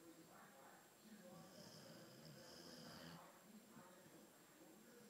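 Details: Theo, an albino Boxer, snoring indoors in a small room: a slow, rasping breath noise swelling for about a second and a half before fading, with a steady faint electrical whine and a little background talk.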